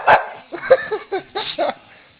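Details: Female pet dog Marley, coaxed with muscle "food" treats: a run of about six short, yelping, whiny barks packed into two seconds, rising and falling, while a person's voice repeats the offer.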